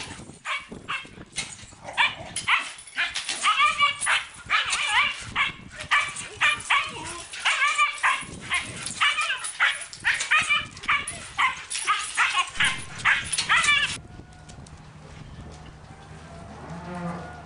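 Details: Siberian Husky brothers in April–May 2006, in an unfamiliar place and meeting unknown animals, bark, yip and whine in quick, excited bursts, many sounds a second.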